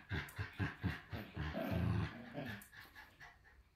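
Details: Shiba Inu puppies, two of them, at a breeder in the Netherlands: quick low growl pulses repeating four times a second, then one longer rumbling snarl that fades out.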